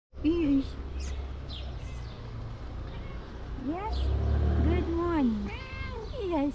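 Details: Cat meowing to ask for food; a short high meow at the start, then a run of rising-and-falling, slightly nasal meows in quick succession, over low room hum and a person's voice.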